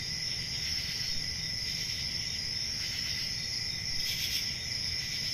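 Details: Crickets chorusing in a relaxation recording: a continuous, dense, even trilling that holds steady at several high pitches with no pauses, over a faint low rumble.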